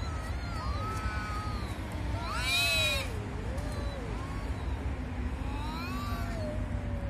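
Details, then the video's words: Angry cats arguing over territory: loud, wailing yowls that rise and fall in pitch, with one harsher, rising cry at the peak, all over a constant low background rumble. "Angry cats 😤 talking about territory😠"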